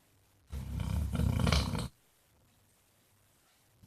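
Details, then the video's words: Jack the basset hound, also known as Mr Flops, lets out a single long, loud snore of about one and a half seconds. It is low, rattling and vibrating, with a growl-like rumble, and silence follows. "Snoring basset hound thinks he's Elvis"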